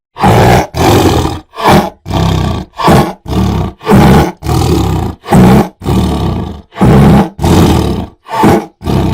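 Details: Tiger roaring in a long series of deep, rough, throaty bursts, each under a second, about a dozen in nine seconds with short gaps between them.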